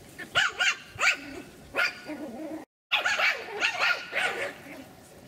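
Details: Three-month-old Pomeranian puppies from a kennel in Kyiv yap in quick, high, arching barks, a burst of four, then softer yelps and a brief cut of silence before another run of bright overlapping barks.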